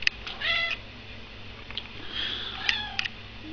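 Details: Pet cat at feeding time in a kitchen, giving several short, high, thin meows in quick succession, with a man talking quietly nearby.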